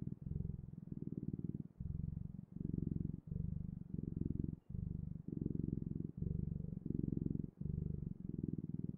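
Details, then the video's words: Cat purr heard up close, a deep buzzing thrum pulsing in even segments under a second long, split by tiny gaps as the cat breathes in and out. "Purring Clouds: The Best, Ultimate, and Magical Sounds of Cat's Purring"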